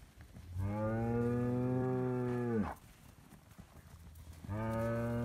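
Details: Highland cattle bull, a Scottish breed kept on a farm in Finland and receiving bread, lows a sustained two-second moo, then starts another drawn-out moo near the end.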